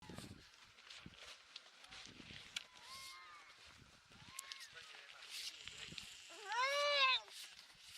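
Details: Baby harp seal on Madeleine Island, Canada, 29 February 2020, with other seal pups crying nearby. Faint thin cries and rustling lead to one loud, wavering, richly harmonic wail that rises and falls near the end, lasting under a second.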